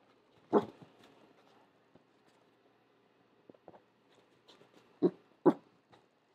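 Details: Pembroke Welsh corgi puppy indoors reacting to a noise outside: one short, muffled low bark, then quiet, then two more gruff barks close together near the end.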